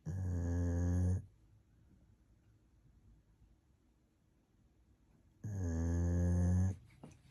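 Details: Napping golden retriever snoring indoors: two loud, steady, low buzzing snores about four seconds apart, each lasting over a second, with faint breathing in the quiet gap between them.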